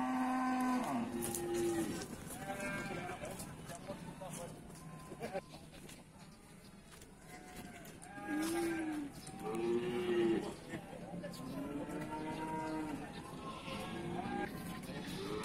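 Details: Several cattle at the Bumiayu cattle market, Indonesia, lowing again and again. Some moos are short and arching, others long and level, with a cluster near the middle. Human chatter and general market bustle run beneath.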